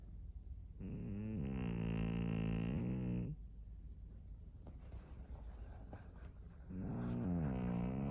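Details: Senior fawn female pug, thirteen years old, in Japan on 3 March 2024, snoring: two long, low, rattling snores with stacked buzzy tones, the first lasting about two seconds, separated by quieter breathing noise.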